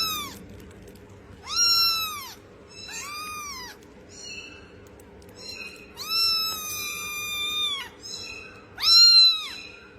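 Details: Kittens meowing: high, arched mews that rise then fall, each lasting under a second, with some drawn out longer. About five calls over ten seconds with quiet gaps and a faint low hum beneath.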